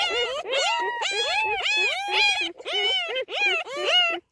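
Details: Newborn puppies with their recently whelped mother, giving a rapid series of about eight arched, rising-then-falling whining yelps, each under half a second with short gaps, with no other clear sounds.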